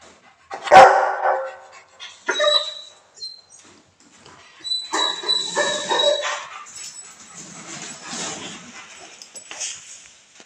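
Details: An aggressive Rottweiler on Koh Samui, Thailand, gives a loud, sharp bark followed by rougher, growly barking bursts.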